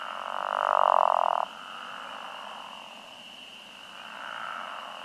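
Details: Pickerel frogs give a low, groaning, almost comical snore at a farm pond on a warm early-spring night in 2021, with spring peepers peeping high and steadily behind and occasional short green frog calls.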